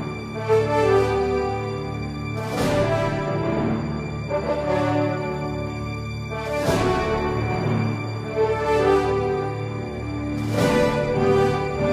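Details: Dramatic theme music with swelling chords and recurring bright accents plays throughout, and no animal voice is heard.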